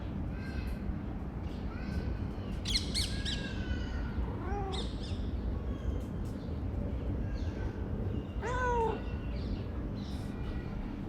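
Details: Chatty calico female cat, one of the cats living beneath a workplace, utters a string of short rising-falling meows, some squeaky and others drawn out, with a louder cluster near the end over a constant low hum.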